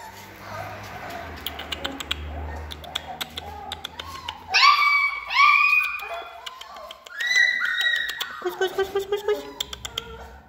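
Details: Three-week-old Alaskan Malamute puppies. People talk at first, then the pups break into high, squeaky whimpers and short yelping squeals in bursts.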